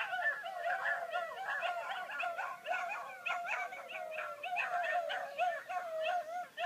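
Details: A Basset Hound watching its favourite programme gives a steady run of high, wavering whines and yips that rise into short howls.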